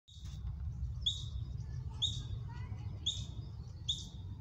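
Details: A juvenile ground squirrel, one of 10+ young out practicing foraging and alarm calls, gives sharp, high chirps about once a second in a false alarm call; the mother froze twice but judged it only a drill.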